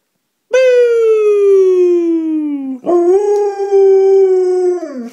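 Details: Morning howl from a hungry female pet dog wanting food: a long howl sliding steadily downward, then a second loud, level tone that wavers slightly before fading down at the end.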